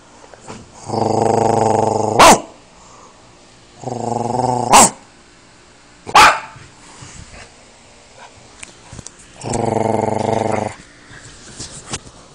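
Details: Bodhi, a pet dog, reacting while his owner growls and barks at him: long humming human growls alternate with three sharp, short dog barks, spaced a couple of seconds apart.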